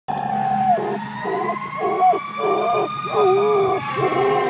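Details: Cooper, a standard poodle, howls along with a passing fire truck siren: wavering, mid-pitched howl tones broken into short segments with bending pitch, over a steady, high siren wail.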